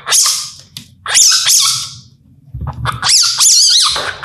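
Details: Indian palm civet, also called toddy cat, calling at night in India. Long raspy hissing screeches with wavering tones, two main bouts with a short pause between, over a faint low hum.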